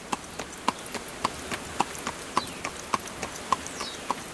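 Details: Rhythmic clip-clop from a horse drawing a carriage, crisp hoof strikes roughly twice per second, each paired with a bright ringing ping, with no other sounds in between.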